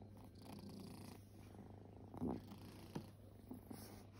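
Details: Resting kittens, once homeless, purr indoors in a low, steady rumble, broken near the middle by a brief soft snort and a few faint bumps.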